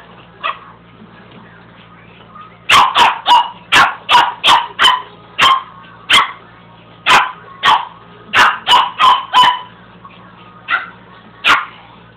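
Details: Pet dog barking at a carpet sweeper indoors: one short bark, a pause, then a run of sharp, rapid barks in quick bursts, easing into spaced single barks, over a low steady household hum.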